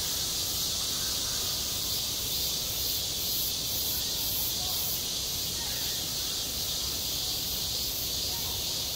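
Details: Cicadas calling at a schoolyard in midsummer; an unbroken high hiss of many insects, slightly softer than elsewhere, with a brief pulsing flutter in the top range partway through.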